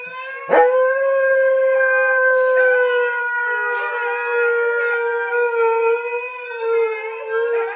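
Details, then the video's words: Siberian husky howling on seeing his brothers: one long steady mid-pitched howl, held level for about seven seconds after a sharp onset, rich in overtones, slightly wavering near the end. "Howling husky sees his brothers"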